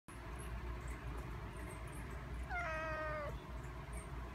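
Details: Stray male tabby kitten, about four months old, kept in a cage while awaiting adoption in Kinta, Perak, Malaysia; meows when he sees people. A single drawn-out, slightly falling meow near the end, over steady low traffic-like rumble.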